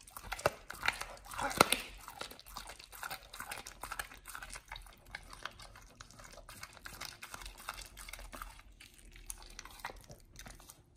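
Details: Nomyen the Pit Bull tackling a raw whole Thai duck for the first time: a heavy burst of crunching bites early on, then steadier, softer chewing that fades toward the end.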